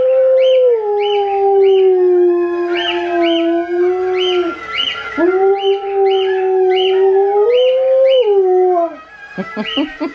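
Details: A female Alaskan Malamute answers her relatives' voices played through a device with a long, sustained howl that slides down, holds, then rises in steps before fading, overlaid by higher repeated yips and howls from the other dogs.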